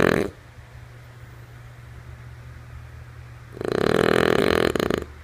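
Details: Lulu, a sleeping female French Bulldog, ends one snore, falls quiet for about three seconds, then lets out a rattling, pulsed snore lasting over a second, followed by a few faint clicks.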